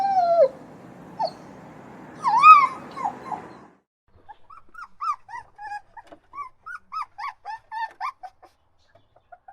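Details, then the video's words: Crying puppies give a few loud falling whines, then after a brief silence a rapid run of short, high, squeaky whimpers repeated about once or twice a second, fading toward the end. "PUPPY Crying and Whining Sound"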